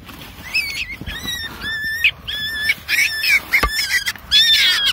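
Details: Baby wild rabbit screaming after being caught: a rapid series of shrill, strained cries in short bursts, each wavering and rich in overtones, about eight in five seconds, with a sharp knock midway and soft handling noise.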